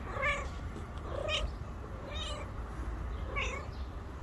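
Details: Stray cat, pregnant and due to give birth within days, meows four times in about four seconds, each call a brief bright wavering note, against a constant low hum of outdoor street noise.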